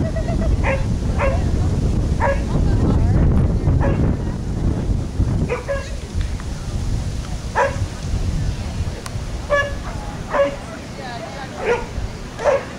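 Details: Wheaten Terrier named Boone running a clean standard agility course in Willingboro, New Jersey; short, sharp barks with ringing overtones come in irregular bursts about once a second, over a steady background rumble and handler voice.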